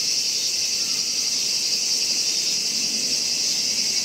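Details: Kaempfer cicada at Gongenyama bird sanctuary, Japan, 11 August 2017, sings a steady, high, hissing drone that runs on without a break.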